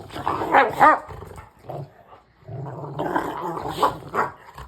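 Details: Two Rottweilers that usually play well together growl and snarl during rough play, with harsh bursts of noisy, throaty sound.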